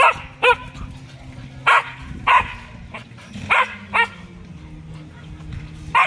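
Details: Siberian Husky acting as a guard dog, giving loud, sharp single barks spaced irregularly about every half second to one and a half seconds, roughly eight in all, over a low steady hum in the background.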